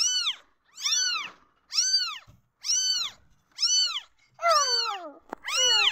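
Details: Several newborn kittens crying out when feeling insecure, a steady series of seven high, arched meows about every 0.8 seconds, the last calls overlapping with a lower, falling wail.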